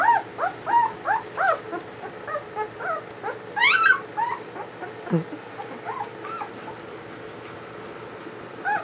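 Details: Ulra's first litter of newborn German Shepherd puppies squeals and whimpers in quick arched cries, several overlapping, a steep high cry near the middle, tapering to a few sparse whines against a low background hum.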